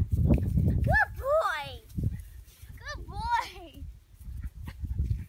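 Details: Ranger, a chocolate Labrador Retriever puppy in training in North Idaho, gives two bursts of high, wavering whines, each curving up then down, amid a person talking and low handling noise.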